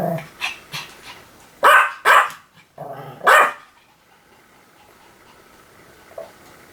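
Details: Pomeranian giving a few sharp, high barks in two quick pairs, softer sounds before them and near silence afterward.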